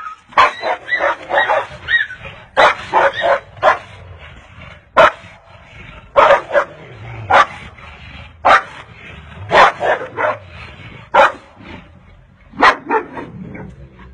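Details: Golden Retriever mother scolding a Siberian Husky for playing with her puppies: sharp, short barks in quick bursts of two to four, repeated throughout with brief pauses between the bursts.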